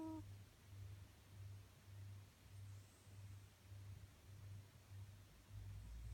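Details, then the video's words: Sleeping cat named Snow snoring indoors: soft, low rumbling breaths in a steady rhythm, under a second apart, with a brief high squeaky note at the very start. "Cutest cat snore"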